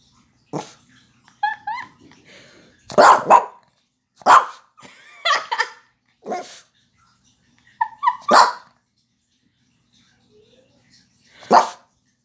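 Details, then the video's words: Roxy, a pet dog indoors, barking after hearing a knock on the door while sitting on a lap; sharp broadband barks in irregular bursts, about eight over twelve seconds, with quiet gaps and soft whines between. "Roxy barking and yawning"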